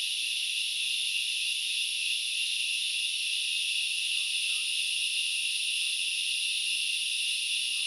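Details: Forest chorus of grasshoppers at Knuckles Reserve, Central Highlands of Sri Lanka: a continuous hissing wall of high buzzing that never pauses, plus scattered soft short notes far below it.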